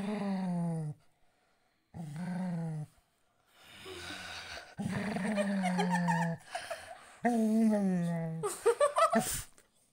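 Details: A golden retriever described as angry or scared gives a series of drawn-out, grumbling growl-moans, each lasting about a second.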